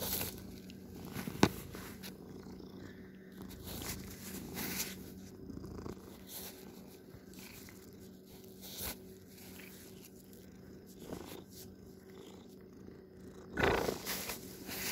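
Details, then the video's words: Pet cat purring indoors, a low steady rumble running under scattered rustles and clicks, with a sharp tap near the start and a louder burst of handling noise close to the end. "Not really ASMR (tho there is purring) My sweet cat"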